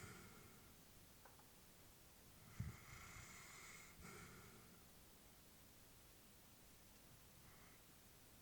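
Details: Sleeping elderly female Labrador indoors gives a short snort followed by a long, soft hissing breath, then a quieter faint breath later; otherwise still, low room hiss throughout.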